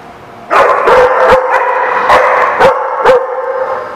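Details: Dogs barking: a dense burst of loud, rough barks starting half a second in, followed by sharp single barks spaced roughly half a second apart, with overlapping voices suggesting several animals.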